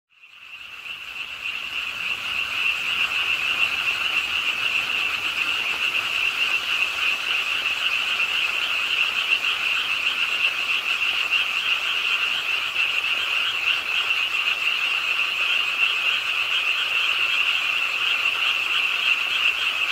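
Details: Frogs croaking at a pond in Ingye Art Park, Suwon, South Korea, late on a rainy night, calling as rain falls; a dense, continuous chorus of overlapping rapid, rattling croaks that fades in over the first seconds, then holds steady.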